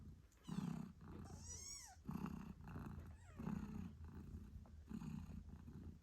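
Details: Mother British Shorthair Moon Stone nursing kittens eight days after birth; a deep purr pulses in roughly one-second swells, with thin descending kitten squeaks and meows breaking in near the start and middle.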